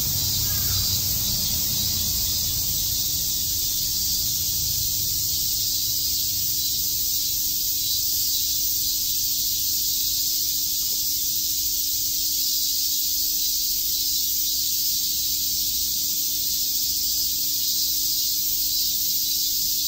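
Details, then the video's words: Cicadas chirping on a summer day in Shakujii Park, Tokyo: a dense, steady high-pitched hiss-like drone that holds unbroken for the full twenty seconds, with a faint low hum beneath. "Cicada chirps"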